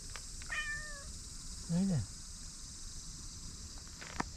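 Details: Stray white cat in a park in Japan, called over by name: a falling meow, then a lower sliding call, with a human voice nearby and a steady insect drone behind.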